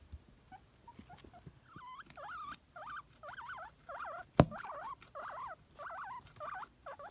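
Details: Male pet guinea pig Nimbus begging for a celery treat. Scattered faint squeaks build into a regular series of longer wavering wheeks with a sharp click midway.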